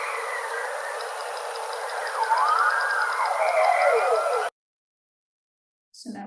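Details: Bowhead whale song recorded by passive acoustic monitoring in the Canadian Arctic: sweeping, siren-like moans rising and falling over a steady underwater hiss.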